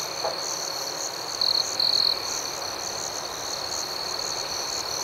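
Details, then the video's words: Crickets at night give a steady, high, ringing trill under a faster pulsing layer above it, with two louder chirping bursts near the middle; no other sounds. "Soothing Cricket Sounds"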